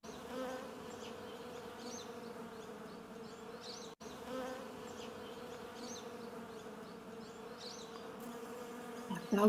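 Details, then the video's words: Many honey bees collecting honey in spring hum together in a steady, low, even-pitched drone, with a brief break partway and a short knock at the end. "так гудуть бджоли коли збирають мед навесні"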